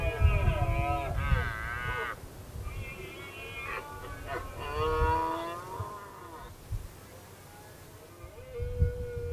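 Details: Repeated hoarse roars of a red deer stag in the 2016 rut, a dominant male provoking other males. Several harmonic bellows come in quick bursts, some rising and dipping, then fade into a softer drawn-out moan amid low background rumble.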